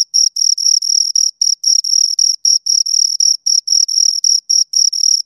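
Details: Close, loud chirping of two crickets, shrill pulsed bursts repeating around four per second, some bursts longer than others, with a thin higher overtone and no other noise.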